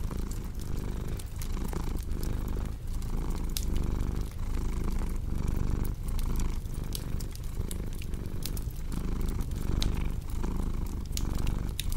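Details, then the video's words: Domestic cat purring steadily: a deep, rumbling purr swelling and fading in regular breaths under the sharp pops and snaps of a crackling fireplace. "Purring Cat with Cozy Crackling Fireplace Sound"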